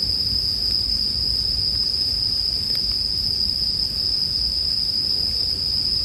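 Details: A steady, high, tinkling drone of bell crickets fills the scene; faint fire crackles and a muffled low background sit under the insects.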